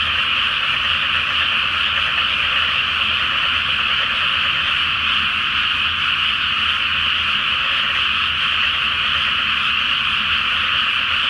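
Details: Great chorus of frogs in a pre-planting flooded rice paddy on a full-moon night; a seamless, buzzing mass of croaks sustained evenly from start to finish.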